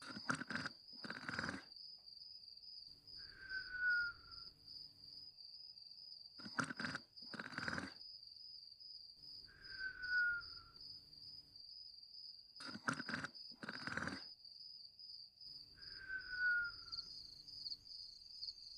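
A sleeping dog snores in rough bursts, each followed by a thin, falling whistle, over steady cricket chirping.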